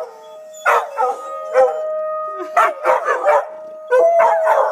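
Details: Three dogs, Tobin, Horace and Patton, respond to an emergency siren test with bursts of yipping and short howls between quieter gaps, a steady siren tone running underneath.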